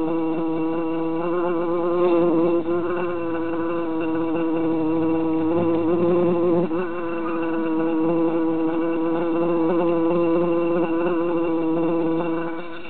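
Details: Continuous loud buzzing from three bees trapped inside a jar in summertime, a rich, humming drone with slight pitch wobbles and no pauses.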